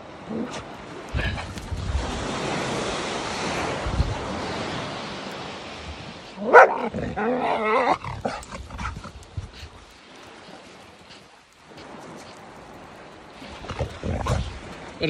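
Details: A rambunctious 15-month-old female Norwegian Elkhound named Skye plays on a sandy bluff above Port Williams beach, Sequim, Washington, in the morning. Steady surf and wind roar, then a short burst of rapid, wavering yelps and barks breaks through.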